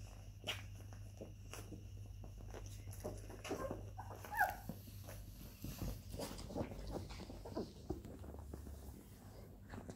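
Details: Twenty-day-old Labrador Retriever puppies, nicknamed little milk vampires; one brief high whimper rises and falls midway through soft shuffling, smacking and rustling, over a steady low electrical hum.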